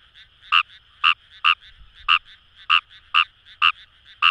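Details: Fejervarya kawamurai in Kamo River paddy fields, Itoshima, Japan: loud clipped croaks roughly every half second, with softer answering croaks from other frogs filling the gaps.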